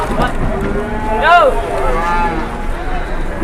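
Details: Cattle being loaded onto trucks in Indonesia give one short, harmonic moo that rises and falls over a low engine rumble and people chatting nearby.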